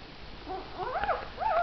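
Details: Dog, a mother with her four puppies: thin high whining whimpers rising and falling in pitch, a few wavering cries in quick succession over a low background hum.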